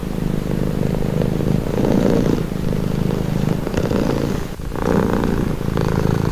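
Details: Domestic cat purring, offered as a calming, relaxing sound: a steady low rumbling purr with fine rapid pulsing, swelling in waves with each breath, a brief dip near the fourth second, no other sounds.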